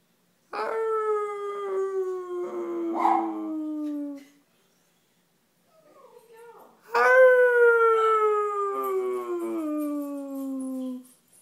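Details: Dog howling in two long drawn-out howls. Each opens on a steady tone and slowly slides downward over about four seconds, rich in overtones. A short quiet gap with faint low murmurs separates them.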